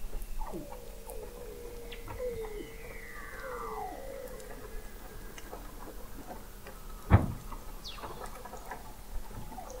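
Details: Under the sea ice of McMurdo Sound, Antarctica, Weddell seals captured in November 2017 at the McMurdo Oceanographic Observatory, 21 m deep: faint downward-sweeping whistles over a low hum, broken by one loud knock.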